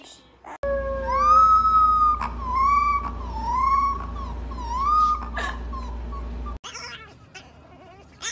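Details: Puppy howling for the first time: a wavering, harmonic howl around mid pitch rises and dips in repeated arcs over a steady low hum, then stops abruptly, followed by brief noisy rustling.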